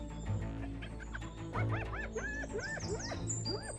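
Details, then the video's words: Spotted hyenas give a run of arched, rising-and-falling cries over a steady low musical drone in the dim light of early morning on the Serengeti savannah during the dry season, a complex communication signal within a matriarchal clan. "In the dim light of early morning, the vocalization of spotted hyenas carries across the savannah."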